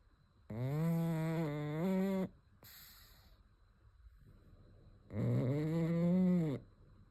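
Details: A pug asleep, giving two long, buzzy snores of well over a second each, the tone wavering slightly upward near their ends, separated by a soft breathy pause in a quiet room.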